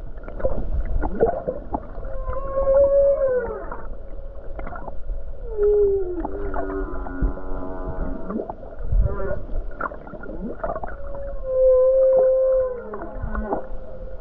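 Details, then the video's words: Near Hawaii on a calm day among numerous whales, a humpback whale sings: long wavering moans rising then falling, buzzy harmonic tones and rapid pulsed grunts, the moan phrase returning twice, over a low ocean rumble. "Beautiful Humpback Whale Song near Hawaii Coast"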